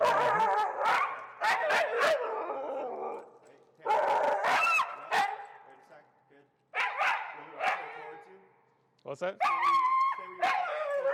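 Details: Finnegan, an extremely vocal feral husky, protests during heel training, disagreeing with the behavior; repeated bursts of wavering, yodel-like howls and yips in three long bouts separated by short pauses, with music and a trainer's voice in the background.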